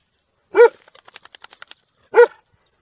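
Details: Domestic dog giving two loud, clipped barks about one and a half seconds apart, with a faint chattering of softer sounds in the gap between them.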